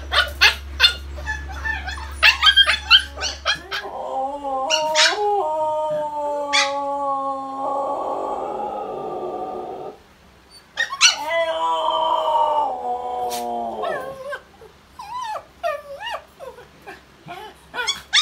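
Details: Household Siberian husky 'singing': brief yips and whimpers open, a low hum underneath at first, then two drawn-out wavering howls separated by a pause, with scattered short yelps trailing afterward.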